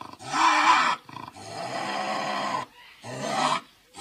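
A Eurasian lynx gives three harsh, raspy screams, each a grating, wavering yowl.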